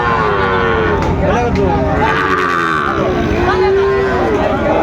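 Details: Sahiwal bull calves for sale at Raniganj market, Dinajpur, Bangladesh, on a Thursday, 20 June 2024; a sustained, even-pitched moo near the end, surrounded by men haggling and a busy market din.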